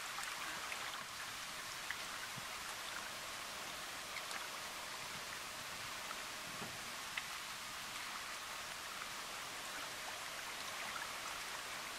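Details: Steady patter of rain with scattered drips, and no animal voice standing out.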